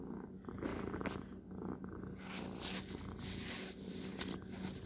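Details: Pet cat purring close up indoors, a steady low rumble throughout with rustling and handling noises, brief clicks and a hissy brushing sound in the second half.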